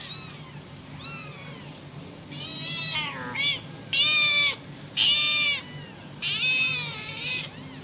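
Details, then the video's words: Kitten calling its mother: a run of loud, drawn-out meows, about one a second, some strained and harsh, each bending up then down, over a faint background hum. "suara anak kucing manggil induknya"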